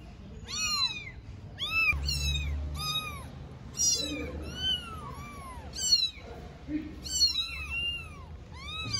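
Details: Overlapping meows from three 4-week-old kittens, stray cats fed in Istanbul, calling at once; bright arching cries rise and fall in quick succession, some doubled, with faint low rumbling and a soft lower sound midway.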